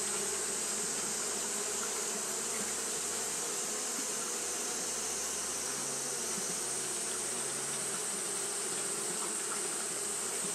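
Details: On a hot day Japanese honey bees keep up their fanning, giving an unbroken, slightly rough buzzing drone with a sustained high-pitched hiss over it.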